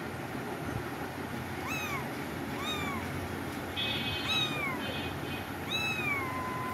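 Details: Five bright, arching meows from cats at about one-second intervals, the last drawn out and trailing off, with a brief tonal whine in the middle and a low hum behind.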